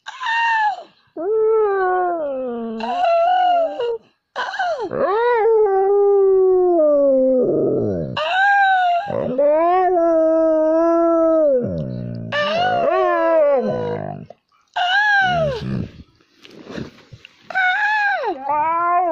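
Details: Bolt, a pet dog being taught to howl indoors, lets out long, sliding howls in repeated bouts with brief breaks, pitch swooping up then drifting down, some whimpery breaks, and a little speech around it.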